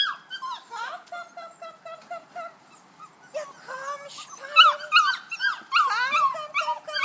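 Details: Several Kuvasz puppies, 5.75 weeks old, on their walk out to the meadow in the big run. Brief repeated whines open, followed by a denser jumble of high, rising-and-falling squeals and whimpers from several puppies at once.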